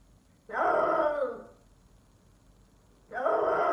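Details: F4 Silver Savannah cat, a male named Sittingpretty Solmonath, calling indoors: two loud drawn-out harmonic cries, each about a second long with a wavering, slightly falling pitch, separated by a quiet gap, no other sounds.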